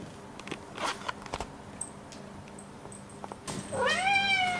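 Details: Domestic cat with a kitten, indoors at 1:30 at night, begging for food and waking its owner by the bed; scattered soft clicks and rustles, then one long loud harmonic meow that rises and falls.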